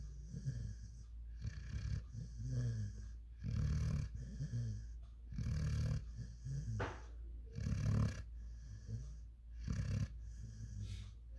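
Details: Rocky, a five-month-old German Shepherd x African Boerboel puppy, snoring while asleep: low rumbling snores with wheezy inhales, repeated roughly every two seconds in uneven rhythm, with a faint steady hum behind.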